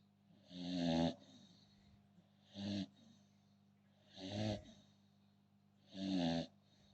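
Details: Sleeping American Bully snores in four harsh, raspy breaths, some longer and some shorter, spaced one and a half to two seconds apart, with a faint constant low drone behind.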